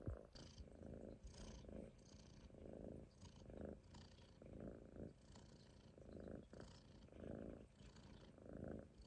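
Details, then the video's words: Munchkin kitten asleep on its owner's stomach, snoring in soft rhythmic breaths, each rasping low rumble lasting under a second with brief pauses between, in a quiet indoor setting. "Kitten snoring on my stomach 飼い主のお腹の上でいびきをかいて寝る猫"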